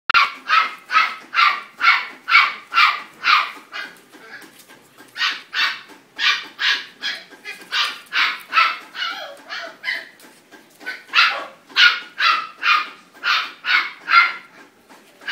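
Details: Blue merle Border Collie at a purebred breeding kennel in Vietnam, barking in rapid runs of sharp, bright barks, about two per second, broken by brief pauses between bursts.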